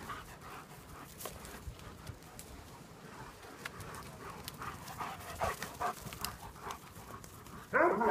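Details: Panting from German Shepherds at play in the sun: rapid, airy puffs repeating over three times a second, quiet and uneven, ending with a sudden louder voiced sound.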